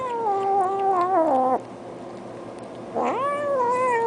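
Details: Domestic cat making strange drawn-out vocal sounds while eating, indoors: a long wavering mew of about 1.5 seconds sliding downward, a pause, then a second rising-then-level moan near the end.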